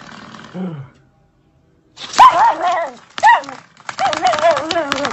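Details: Dachshund playing and fighting with a door stopper; after a faint low sound and a pause, bursts of high, wavering yips and whining barks come in three rough groups.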